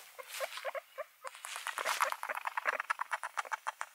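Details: Several guinea pigs keep up a rapid run of short squeaky chirps and chutters, dense and overlapping, with a brief quieter gap near the second mark before the busy patter resumes.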